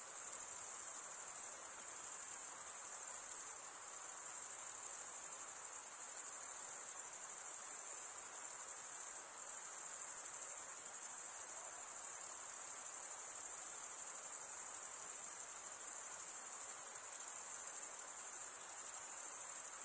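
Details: Forest crickets on a summer night keep up a constant piercing high trill of dense pulses, with slight dips in loudness now and then and no other distinct sounds.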